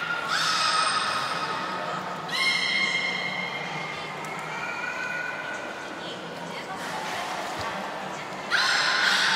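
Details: Training time for belugas Gray, Nana and Niko at Nagoya Port Aquarium on 14 October 2019: long, harmonic, whinny-like tonal calls hold steady for about two seconds each, then another call bursts out at the end, with indoor crowd noise behind.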